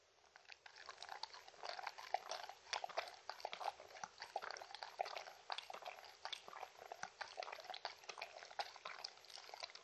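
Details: Shetland Sheepdog Mindy eating dog-friendly treats and drinking indoors, recorded close up with no talking: dense, rapid wet clicks and crunches in a steady stream, without pauses.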